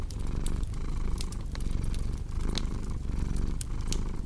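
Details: Cat purr rumbling low in repeating in-and-out phases near fireplace crackle, sharp clicks and pops of burning logs scattered across the steady purr, meant as a calming bedtime ambience.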